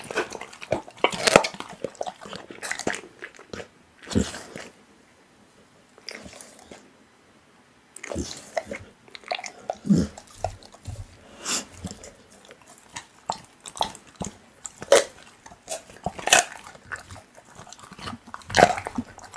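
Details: Pit bull working through raw meat, with scattered wet smacks and crunches, a nearly silent pause of about three seconds, then renewed irregular chewing and clicks.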